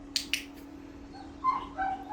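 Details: Pomeranian named Mee-yoo during obedience training, told to lie down: two sharp clicks open, then two short, high, nasal whines near the end, the second slightly lower and drawn out, over a steady low hum.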